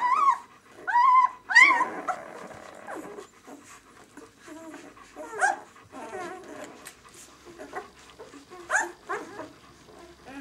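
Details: Six-day-old White German Shepherd puppies of the "of White Night" B litter: a few high whimpers at the start, then soft scattered squeaks and rustling.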